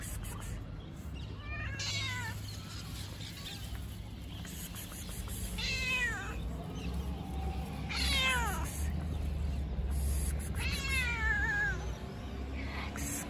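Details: A fluffy cat, one of the homeless street cats that get fed nearby, meows four times in about thirteen seconds: drawn-out, harmonic cries that rise and fall, some wavering, over a steady low outdoor rumble.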